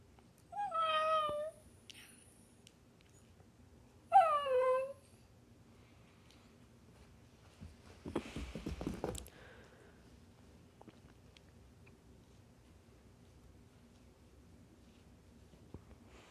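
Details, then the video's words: Faye, a five-month-old tricolor female corgi puppy, "talks" indoors: two whiny, descending, harmonic yowls about three seconds apart, each around a second long, followed by a short burst of rustling noise, then quiet. "Faye Talking"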